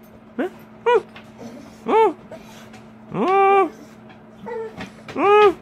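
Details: American Bully dog giving a series of five short, arching whine-howls, each rising then falling, spaced irregularly about one second apart, with the longest near the middle; a faint steady hum underneath.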